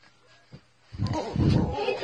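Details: Corgi Husky mix dogs King and Misha in rough indoor play: a low, rumbling growl swells after a faint click, with a woman's voice telling them no biting nearby.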